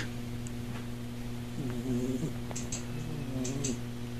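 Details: Steady low purring from a mother cat sleeping with her three tiny kittens curled up together, eyes open; unbroken rumbling drone, with a few faint short squeaks and soft shifting sounds partway through.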